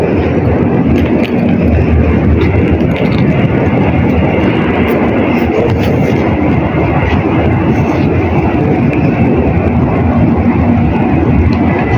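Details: A loud, steady roar like a passing train or aircraft fills every moment, with no animal sound audible.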